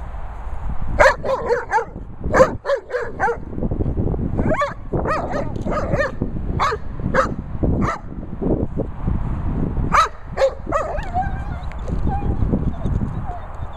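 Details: Young Labrador Retriever barking repeatedly in quick runs of high, yappy, harmonic barks, some clustered three or four together, with brief pauses and a steady low rumble behind.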